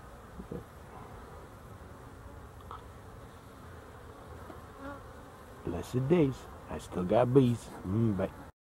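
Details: Honey bees on 12-11-23: mostly quiet hum at first, then in the last few seconds several loud, wavering buzzes sweep past, rising and falling in pitch.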